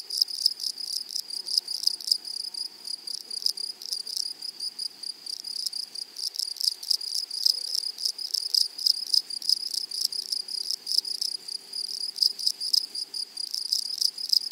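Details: Grasshoppers singing in a flowery meadow, a steady high-pitched rasping chorus of fast repeated pulses, dense and unchanging from start to finish.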